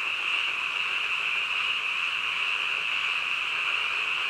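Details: Frogs calling at night in a massed chorus, a constant high, trilling wash of sound with no pauses and no individual croak standing out.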